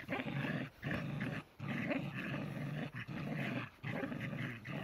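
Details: Growling from two tricolor Shetland Sheepdogs, Cherry and Sammy, locked in a playful tug of war; deep rumbling bursts repeat about every second, with short breaks as the dogs tug.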